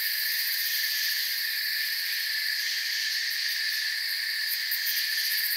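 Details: Forest crickets produce an even, ringing chorus of high trills in stacked bands, with distinct rapid pulses becoming clearer in the highest layer toward the end.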